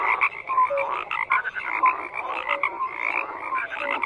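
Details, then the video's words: Croaking frogs in full chorus: choppy rasping calls repeat unevenly around twice a second, with a few thin whistle-like notes over a continuous buzzing background of more callers. "FROGS CROAKING"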